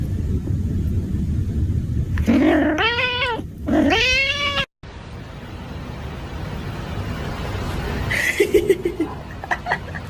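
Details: Angry cat giving two drawn-out, rising-then-falling yowls in quick succession, harmonic and wavering, over a steady low hum; after a cut, a brief higher cry and faint clicks follow.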